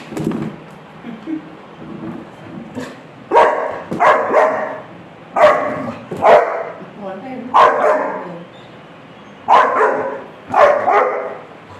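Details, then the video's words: Rottweiler puppy barking on seeing a roll on a chair: sharp, harsh barks in pairs spaced a second or two apart, with background music and a person's brief voice. "Rottweiler puppy barking on seeing a bark roll on a chair"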